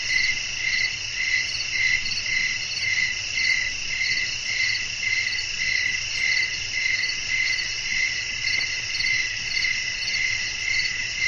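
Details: Crickets chirping in a relaxing nighttime nature soundscape with blowing wind, meant for sleep; steady rapid pulsed chirps, high and bright, repeating in a fast even rhythm over a soft constant background hiss.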